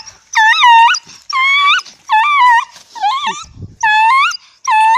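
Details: Dog howling in a series of six short, wailing notes that rise and dip in pitch, each under a second, with a brief low thump between the fourth and fifth.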